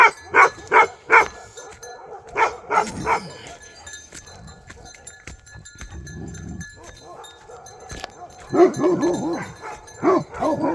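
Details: Bhote Kukur dog in Nepal barking in short bursts of three or four sharp barks, separated by quieter stretches with a man's voice and low rumbling.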